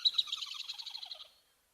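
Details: An angry squirrel, heard on an African wildlife cam around 4:37 in the afternoon during the summer rainy season, gives a rapid, scolding chatter of sharp pulses that slows and drops in pitch.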